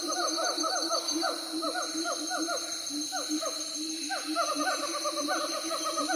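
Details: Group of siamangs giving rapid, ringing hoots that swoop upward and drop, delivered in dense bursts of overlapping voices with a brief lull midway, set against a constant shrill background hum.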